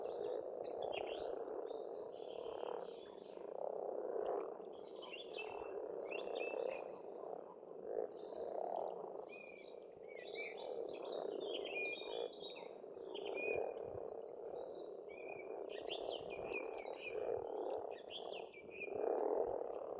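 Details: Pond frogs in spring on an Estonian farmstead keep up a thick croaking chorus that swells and fades in waves, overlaid by a bird's high trilled song phrases repeated about every three seconds.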